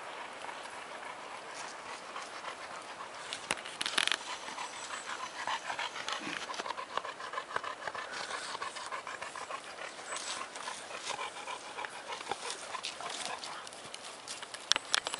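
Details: Clumber Spaniel panting after bathing in mud outdoors, recorded 31 October 2010: a steady, breathy rasping pant running throughout, with faint rustling and splashing noises.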